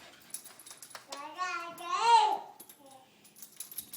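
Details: Siberian Husky puppy producing one long wavering howl-like whine that rises, peaks and falls over about a second and a half, followed by a shorter soft whine, with quiet human voices around it.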